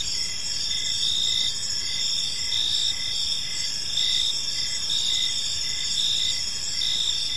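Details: Crickets chirping on an evening in a peaceful park, a dense high continuous trill layered with short pulsed chirps repeating about every second, steady and unbroken with no other clear sounds.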